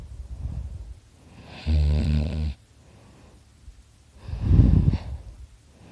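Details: Dakota, a sleeping pet dog, snores very loudly: one short, deep rattling snore, then a forceful, noisy exhale a couple of seconds later, with soft breathing between.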